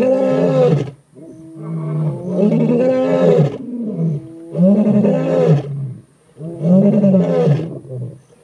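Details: Male lions of the Skorro coalition in the Timbavati, South Africa, roaring to advertise territory and dominant-male status on a hot morning; loud, deep, harmonic roaring bouts, four heavy groaning pulses about every two seconds with brief pauses between.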